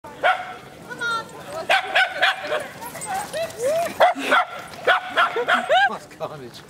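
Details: Little dogs barking excitedly while lurchers run and chase: rapid, high, yappy barks with rising-falling squealing whines, delivered in quick irregular bursts about three per second, with a person's voice mixed in.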